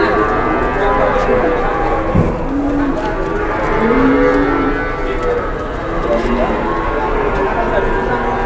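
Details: Cattle in Indonesia, where a large jumbo cow has just arrived among other cattle; low, drawn-out moos with wavering, rising and falling tones in the middle of the recording, overlapping a man talking and steady background noise.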